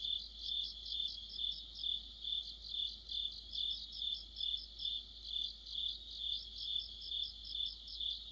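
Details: Steady autumn cricket chorus, a bright pulsing chirp repeated a little more than twice each second, mixed with intermittent higher trilling from other insects in the background.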